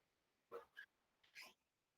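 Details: Female pet dog that likes to join in a live coding session at home; two short, high yips, then a pause and two more quick yips, faint against a quiet room.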